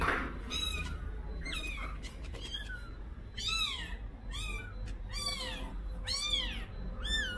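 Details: Week-old kitten crying and calling for its mother after being taken away from her at home; loud, repeated rising-then-falling meows roughly every half second to second, with harmonics and low household rumble underneath.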